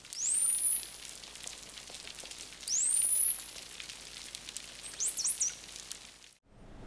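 A bottlenose dolphin gives high, clear whistles that sweep upward, repeated every couple of seconds.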